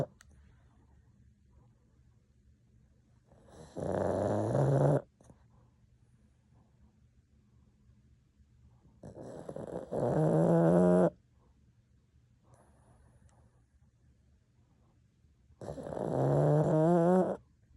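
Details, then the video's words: Sleeping pug snoring in a slow, steady rhythm: three long rasping, rattling breaths, each about a second long and roughly six seconds apart, with quiet pauses between. "Adorable pug snoring"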